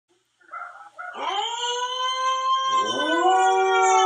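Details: Siberian Husky named Jaxx howling to himself: short broken yips open, then a long sustained tonal howl rising sharply and holding steady, rich in harmonics, growing louder toward the end.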